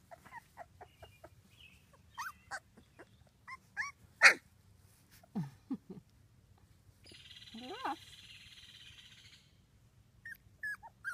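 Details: Two-week-old British Labrador Retriever puppies from Ruby's litter of six, whelped June 24th 2015, give scattered short high squeaks and rising whines, with a brief buzzy hiss partway through.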